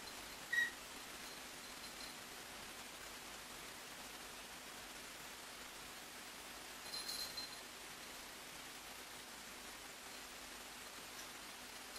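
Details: Faint steady indoor hiss with two brief soft clicks near the start and middle; no animal voice is heard.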